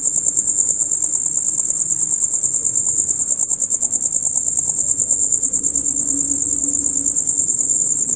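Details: Male crickets in a loud night chorus, heard from dusk until dawn: a shrill, high, rapid pulsing chirp held without a break, with a faint low hum underneath.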